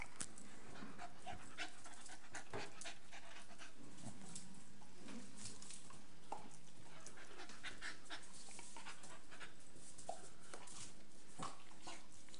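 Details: Two Staffordshire Bull Terriers, female Nelly aged 12 months and male Rip aged 7 months, play together: rapid breathy panting and scuffling bursts run steadily throughout, with occasional sharper clicks and no other animals heard.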